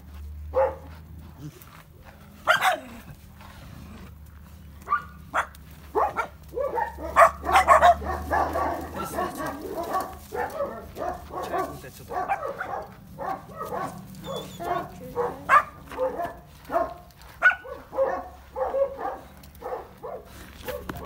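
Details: Georgian Shepherd puppies, or Nagazi, at vaccination time bark and yip in a dense, overlapping chatter, while human voices speak over parts of the commotion and a low hum runs underneath.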